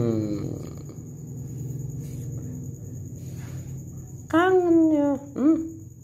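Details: Pet cat missing its owner gives two drawn-out meows near the end, the first long and falling, the second short, after a stretch of low indoor hum and murmuring voices.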